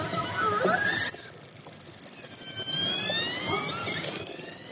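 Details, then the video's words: Orcas approaching a fishing boat, heard underwater: high squealing whistles with layered harmonics, a short rising sweep at the start, then a long smoothly rising whistle lasting nearly two seconds over a steady hiss. "underwater sound of orcas apporaching a fishing boat"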